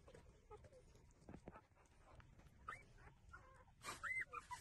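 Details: Puppies feeding from their mother, mostly quiet with soft shuffling, then a few thin, high whines near the end, one clear rising-and-falling whimper standing out.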